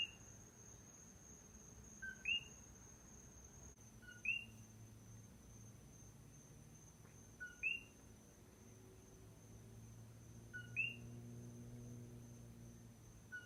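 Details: Lone coqui frog heard at night on the island of Hawaii, repeating its two-note 'co-qui' about every two to three seconds, five or six times, a low note then a rising whistle, over a steady high insect-like whine.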